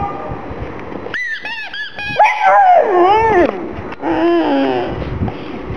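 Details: Gong Fu the black pug whimpers over a little ball, indoors with rottweiler Poncho: a few short chirpy yelps lead into a loud wavering whine that dips and rises, then a softer quavering cry.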